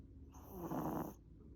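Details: A pet Chihuahua asleep on its owner's lap gives one loud, breathy snore lasting under a second, a rough hissing rush that swells and fades, with a faint low hum beneath.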